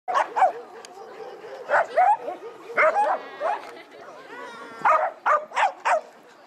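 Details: Corgis at a corgi owners' meetup on 1 December 2013 bark in sharp, high yips, often in quick pairs, with people talking nearby.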